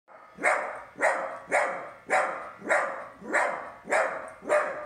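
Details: Dog voicing displeasure at a gift: eight sharp, loud barks, evenly spaced about every 0.6 seconds, each bark hoarse and broadband with a quick fall-off.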